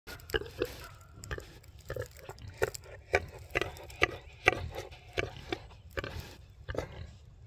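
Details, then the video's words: Big muddy pig at Uncle Tim's Farm grunting back at the person filming: about fifteen short, rough, low grunts in uneven quick succession, some paired, roughly every half second over seven seconds, with faint rustling between. "Big Muddy Pig Talking to Me"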